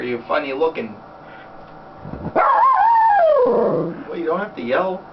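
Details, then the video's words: Happy female Schnauzer on her owner's lap in a small room produces a drawn-out, wavering howl that slides gradually downward, framed by brief yips. A person's speech is heard before and after it. "Sounds of a happy Schnauzer part 1"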